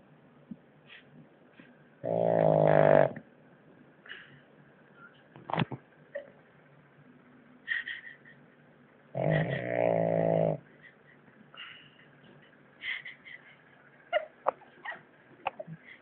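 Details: Natsuo, a French Bulldog, snoring at his loudest: two long, gravelly, vibrating snores about seven seconds apart, each over a second long, with scattered small clicks and snuffles between them.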